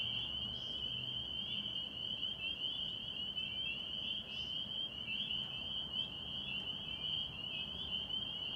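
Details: A dense spring peeper (Pseudacris crucifer) chorus at a Massachusetts pond in springtime, countless high piping peeps blending into one continuous shrill ring.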